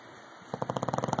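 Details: Loud snoring from English bulldog Rocky: a sudden rattling burst of fast regular pulses, about fifteen per second, starting midway after a quiet hum.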